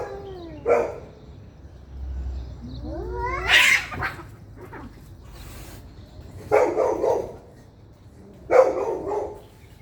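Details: Angry cats fighting loudly: sliding, quavering caterwauls rise and fall with strong overtones. Harsh, noisy spitting bursts follow, about every two seconds, with a faint low rumble beneath.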